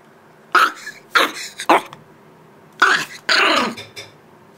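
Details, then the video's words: An 8-week-old male Shiba Inu puppy, showing who is boss to his unflinching mother, gives five short, harsh, rasping barks in two quick bursts. "Shiba Inu Puppy barking and showing who the boss is 8 weeks old"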